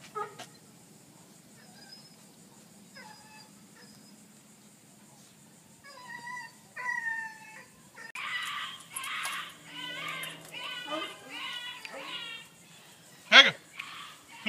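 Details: Puppy whimpering from two male pups named Ringo and Mingo, 26 August 2013: sparse thin high whines at first, then a burst of louder, quavering yelps and whines, ending with a sharp knock.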